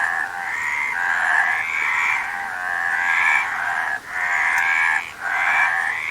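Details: Dense frog chorus with steady, grating, mid-pitched croaks layered on top of one another, broken by two short drops in loudness near the end.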